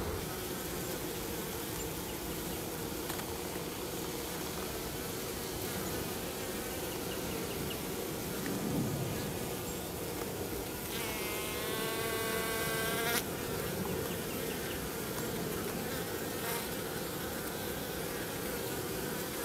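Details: Swarm-like drone of honey bees at a hive south of St. Paul, Minnesota, in March, carrying dead bees out to the ground in front; constant buzzing throughout, with a brief wavering whine overlaid near the middle.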